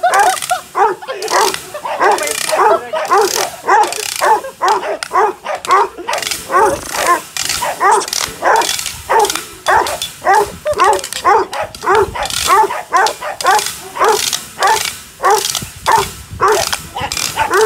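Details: Five-month-old Presa Canario during an agitation test in Odesa: steady deep barks repeated nearly twice a second throughout, with a person's voice mixed in.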